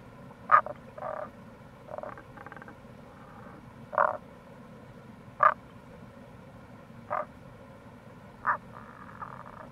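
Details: Rana tagoi calling in April near a gorge in Itoshima, Fukuoka: a run of short croaks roughly every one to two seconds, some followed by quieter pulsed trills, with steady stream sound behind.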